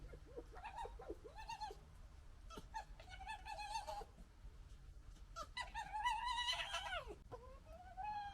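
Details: A litter of three fox cubs in a quarrel, trading harsh chattering gekkers and whining, wavering yelps that rise and fall, several overlapping bursts with short pauses between them, low hum underneath.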